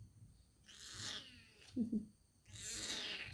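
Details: A male kitten cries before being handed over for adoption while a person comforts him. Two breathy, high-pitched meowing cries come about two seconds apart, with a brief low sound between them.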